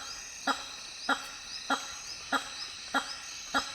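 Hammer-headed bat giving loud, abrupt honks about every 0.6 seconds in a steady series, over a background of high insect buzzing.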